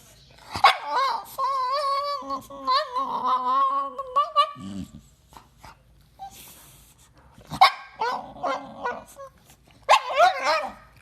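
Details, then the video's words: Household dog vocalising at its people: a sustained, wavering, yodel-like whine lasting a few seconds, then bursts of higher, quavering yowls and whimpers, with a low thud and occasional human voice between. "Funny Dogs Talking and Arguing With Their Humans"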